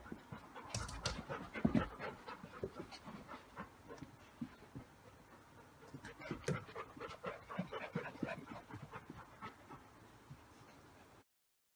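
Rapid, breathy panting from a Golden Retriever puppy comes in uneven bursts, mixed with sniffs and light clicking scuffs. The sounds stay soft throughout and then stop abruptly.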